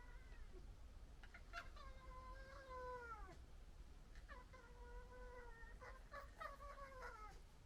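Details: Local red fox family fighting and arguing: drawn-out, slightly falling harmonic wails lasting about two seconds, then a second wail and rapid stuttering chatter near the end, over constant low rumble.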